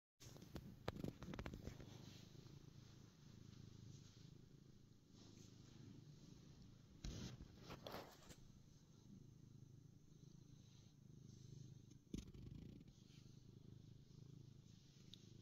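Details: Ronnie, a happy black pet cat, purring: a steady low rumbling drone runs throughout, broken by a few brief louder knocks and rustles of handling.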